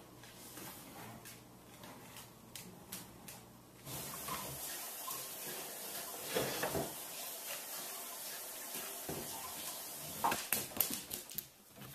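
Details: Running water and faint indoor clatter, with no animal sound heard.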